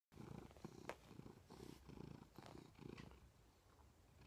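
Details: Domestic cat purring loudly beside its owner in bed, recorded 20 December 2014; low rumbling pulses in steady bursts about twice a second, with a few faint rustles.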